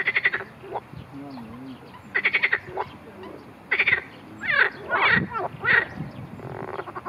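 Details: Marsh frog under attack by a grass snake, giving repeated rattling pulsed croaks in short bursts, then a run of harsher, drawn-out squawking calls, over a faint background hum.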